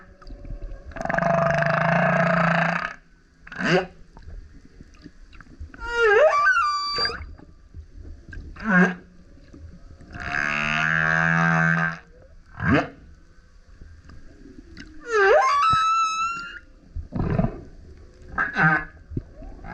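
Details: Varied loud song from a male humpback whale surfacing near a kayak: deep grunts, burps and rasping roars alternate with short upswept whoops and squealing harmonic cries, separated by brief quiet gaps.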